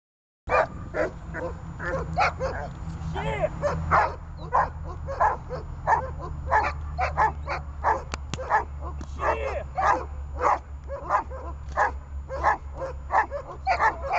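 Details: Runa, a dog in training for holding and barking at a person, barks in a fast, steady stream of sharp, loud bursts, roughly one and a half per second, with a low steady hum underneath throughout.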